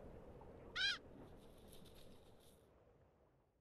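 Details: A red fox in Montana's Bitterroot Valley in winter, scavenging a carcass, gives a single short, high, reedy cry that arches up and falls away.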